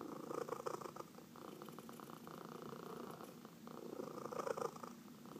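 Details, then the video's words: Cat being massaged gives a close, rhythmic purr, a rapid throbbing rumble that surges and eases with its breathing, loudest at the start and near the end. "Four Purring Cats — Cat Massage"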